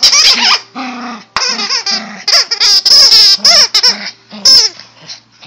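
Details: A Yorkie pet dog letting out rapid, high-pitched whining yelps with wavering, bending pitch, packed closely in a loud excited run of about twenty notes and pausing only briefly between bursts.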